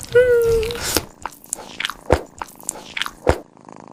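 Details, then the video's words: Cat eating: a brief tonal, meow-like wail opens, then irregular crunchy bites and wet chewing clicks follow in uneven bursts, several sharp crunches standing out, with a faint low hum underneath. "Silly Cat's Wacky Munch Attack 😹 Super Funny Eating Sounds"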